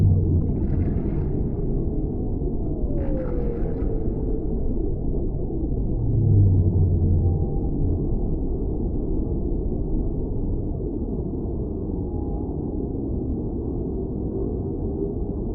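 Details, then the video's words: Whale song for tinnitus relief and sleep: a low, steady rumbling moan under a constant deep wash of underwater noise, with a brief falling whistle-like sweep near the start. "Whale Sounds"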